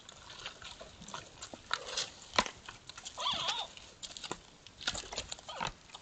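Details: Two sambar sparring give odd sounds: a short wavering, harmonic call midway through, set among sharp clicking knocks and rustles.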